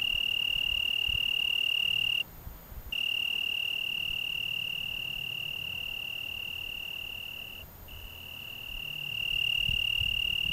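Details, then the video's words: High, even trill of an Italian tree cricket at dusk in June 2010, Algarve, Portugal, broken by a pause of under a second near the start and a brief dip later, otherwise sustained at one pitch with a slow swell in loudness. "Juni-Stimme des Abends am Algarve - Grilo da árvore"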